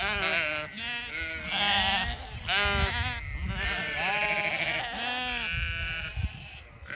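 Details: Zwartbles ewes on a regenerative farm in County Kilkenny, Ireland, calling to the flock spread over two fields at evening feeding time; overlapping harmonic bleats, several voices rising and falling in quick succession throughout.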